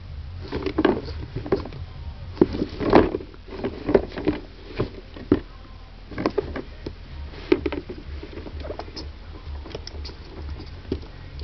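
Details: Pet ferret Kentaro, having crawled into a dusty storage case, sneezes repeatedly in short sharp bursts amid constant scuffling and pattering against the case walls.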